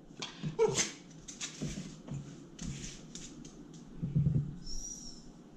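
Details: Sparky, a rescue Basenji dog, indoors in a small room while being coaxed to roll over for turkey breast: short sneezing snorts and a brief thin whimper, then a faint high whine near the end.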